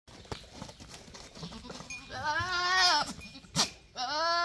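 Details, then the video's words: Male goat calling in a loud, wavering bleat with stacked harmonics, one long quavering cry near the middle followed by a shorter rising bleat at the end; a sharp click and faint background noise in between. "super funny boy goat talking"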